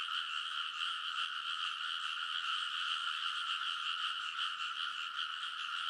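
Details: Many frogs in full chorus on the ridges of a rice paddy in Konosu, Saitama, Japan, late at night in early summer, recorded on a TASCAM Portacapture X8. A dense, unbroken wall of overlapping croaks forms a steady pulsing drone with no gaps.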